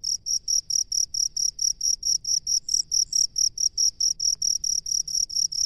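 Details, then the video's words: Cricket inhabiting a rice field, sounding crisp high chirps at about four per second, evenly spaced, with a faint extra chirp overlapping near the middle and low hum behind. "SUARA JANGKRIK PENGHUNI SAWAH"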